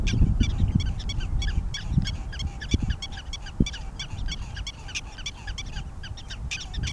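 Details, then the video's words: Prairie dog at Theodore Roosevelt National Park barks: sharp, high chirping yips repeated rapidly over a low rumble of wind. "Prairie Dog Barking at Theodore Roosevelt National Park"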